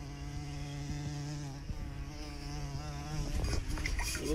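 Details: Bumblebee recorded up close, a steady low droning buzz with many stacked harmonics, holding one pitch for the whole stretch, growing louder and rougher near the end as the bee shifts.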